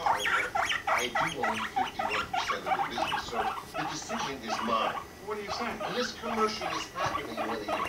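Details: Rumply, a male guinea pig, courting and mating with Fluff, a healthy five-month-old female, gives fast rhythmic purring and chutting pulses in bursts about every second, steady and low-pitched throughout.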